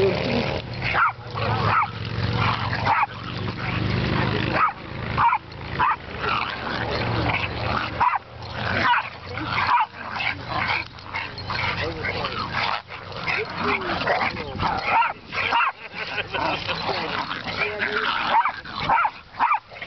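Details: Several dogs, including two Chihuahuas, a pit bull and a white American bulldog, playing rough at a dog park: dense overlapping barks, yips and growls in rapid bursts, with human voices mixed in throughout.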